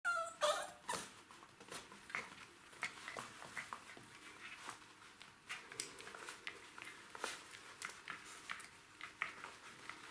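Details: Three Jack Russell Terrier puppies, ten weeks old, tussle over a toy indoors; a brief high, wavering whine opens the scene, followed by scuffling, clicking claws and soft knocks in a small room.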